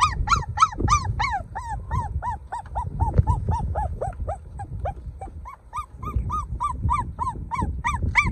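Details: Golden puppy crying with rapid, high, arched whimpers about three per second, each note rising and falling, in steady runs with a short pause near the middle; low rumbling background noise underneath.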